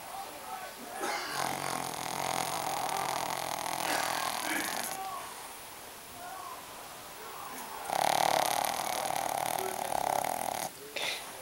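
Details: Shih Tzu named Maggie, noisy while asleep, giving long rough snoring breaths of several seconds each, separated by brief pauses.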